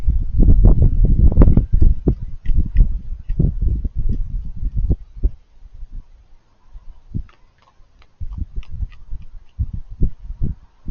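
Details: Raccoons eating with cute crunchy noises, about three bites a second of crackling chewing, loud and dense for the first few seconds, a near-quiet stretch in the middle, then renewed crisp crunching.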